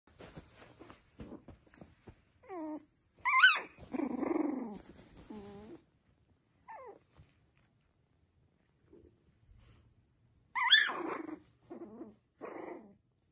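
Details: Poodle and Bichon puppies whimpering indoors: thin, high-pitched whines and squealing yelps that rise and fall, loudest in two bursts early and late, with softer scattered whines and quiet gaps between.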